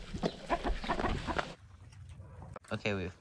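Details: Bacon May, a two-year-old Pixie Pig (mini pig) wearing a GoPro, gives a rapid run of short, rough, low grunts for about a second and a half, then a brief human voice follows.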